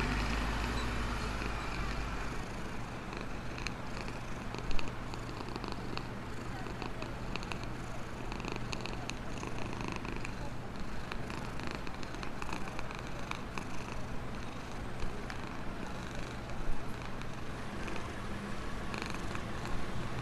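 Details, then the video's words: Happy black homeless cat, living in a box near a store and being fed, purring steadily: a low continuous rumbling throb throughout, with faint outdoor background noise and a couple of brief clicks. "Purring of a happy black cat"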